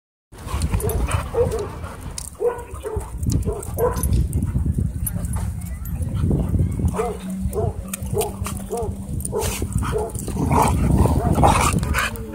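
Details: Dogs playing at a dog park: a steady run of short, arched yips and barks, roughly four a second and unevenly spaced, over a low rumbling growl, with human voices in the background.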